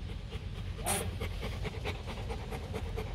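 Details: Adult male Rottweiler named Bruno, a stud dog kept at a Hanoi kennel, breathing in rapid rhythmic pants over a low background hum, one sharp click near the middle.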